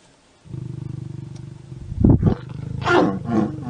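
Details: Lion and lioness mating: a steady low pulsing growl builds, then two harsh loud snarls break out around the two-second mark, followed by a rasping, rising snarl near the end.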